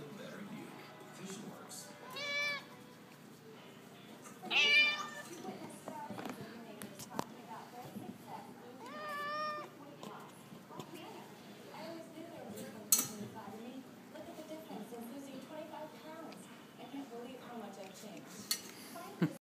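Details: Pet Siamese cat vocalizing as its rump is scratched: loud, bending meows near the start and middle, followed by softer, quieter murmured calls, with occasional clicks and background noise.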